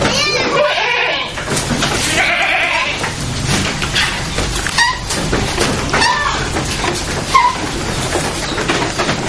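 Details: Etawah goats in their pen while it is being cleaned; wavering, harmonic bleats rise over a constant scraping, rustling clatter of cleaning work, with brief bleats recurring through the clip.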